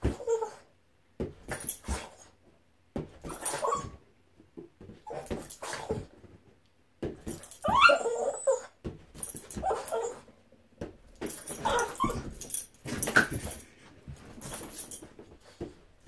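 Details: A Boston Terrier called Boston at play with a balloon, giving a short rising whine amid irregular bursts of thumping and scuffling noise, with quiet gaps between the bouts.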